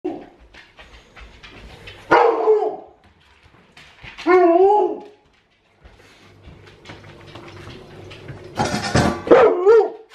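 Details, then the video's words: Hungry adult Alaskan Malamute indoors at feeding time, acting as if starved: a short bark near two seconds, a wavering howl-like whine around four seconds, then a loud burst with falling whines, quiet room noise between. "Hungry Alaskan Malamute!"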